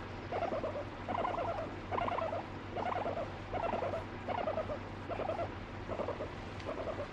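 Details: Pet guinea pig, angry when petting stops, also biting and peeing on its owner; a run of short buzzy pulsed calls, each a quick stuttering burst, repeated about every second over a low steady hum.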